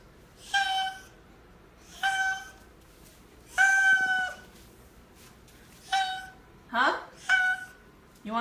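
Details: Oriental Shorthair cat Teddy honking in place of a meow, short flat nasal blasts spaced a second or two apart, one held longer, ending with a falling cry; a woman's voice greets him indoors.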